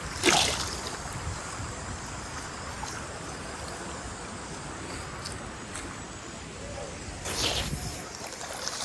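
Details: Rushing water and a passing vehicle in the Guatemalan jungle near Semuc Champey, with brief voices and no animal calls.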